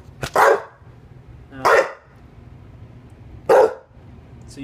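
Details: English Bulldog named Rue gives three loud, harsh barks about one and a half seconds apart, wanting the door opened so she can pee; low room hum between barks.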